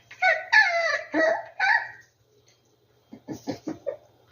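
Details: Rescued puppies indoors giving several drawn-out, high whining cries with harmonics, then a pause and a run of four short, quick yips.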